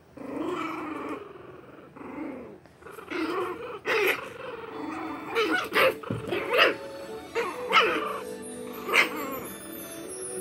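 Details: Shih Tzu puppies play-fighting with littermates, growling at each other; rough growls give way to sharp yaps and short barks, increasingly frequent, with faint background music.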